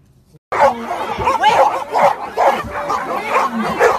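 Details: Golden Retriever, part of a compilation of pet dogs, barking in a rapid run of short harsh barks roughly every half second after a brief silence, with a person's voice mixed in.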